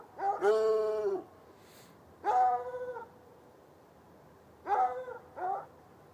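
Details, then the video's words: Saturday night, from across an irrigation ditch about ten yards off, chained hounds (one white, one dark) in a bushy yard by a red outbuilding give a long baying bark, then shorter paired barks after pauses of about two seconds. "Barking dogs"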